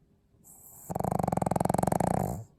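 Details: Pug snoring indoors, a soft breathy lead-in and then a loud rattling snore of rapid fluttering pulses lasting about one and a half seconds before fading out.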